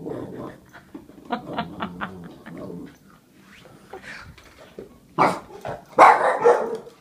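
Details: A Boston Terrier being silly while chewing his bone makes short, irregular grumbling and yipping sounds, with louder bursts near the end.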